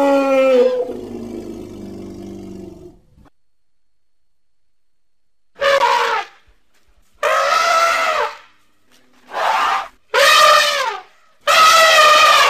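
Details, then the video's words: Elephant trumpeting: a short harsh call and low rumble first, then after a silent gap five loud, brassy trumpet blasts of about one second each, harmonic-rich with slightly wavering pitch, separated by brief pauses. "Elephant Sounds"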